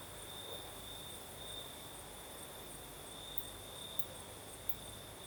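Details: Night chorus of crickets in southern Crimea, night breeze: an unbroken high-pitched trilling that pulses slightly, with a few soft faint clicks near the end.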